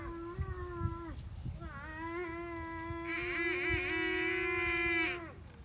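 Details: Water buffalo calf crying for its mother: drawn-out, tonal, bawling calls, a one-second cry followed by a long cry of nearly four seconds whose upper tones grow brighter and harsher midway, over low rumbling background noise.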